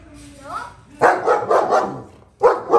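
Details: Long-haired German Shepherd playing with his best buddies: a brief rising whine, then a quick run of three or four loud barks, a short pause, and two more barks.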